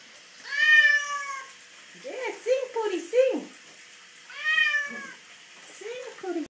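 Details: Domestic cat, female, dramatic while bathed after a roll in the dirt: a long high wailing meow, a cluster of short lower yowls, then another long meow and more short complaints, over faint splashing.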